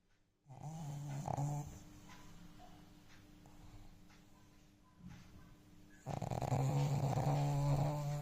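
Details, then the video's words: Indoor pet dog snoring heavily, low rumbling snorts with a steady rough buzz, a quieter stretch of breathing in the middle, then a loud sustained snore at the end. "क्या Dogs भी इतनी जोर से खर्राटे मारते हैं? | Jinni के खर्राटे | Jinni's snoring"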